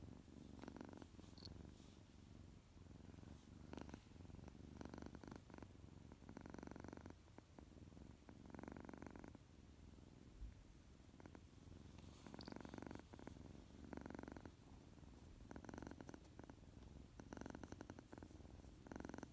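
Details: Loud, continuous purring from a male tuxedo kitten waking up from a nap, a low rumble swelling into louder breathy pulses at irregular intervals, with quiet background indoors.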